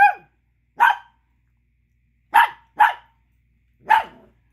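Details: Chihuahua pup angrily barking over a small bone another dog is chewing; five sharp, high, clipped barks spaced unevenly across a few seconds, with silence between and no other sounds.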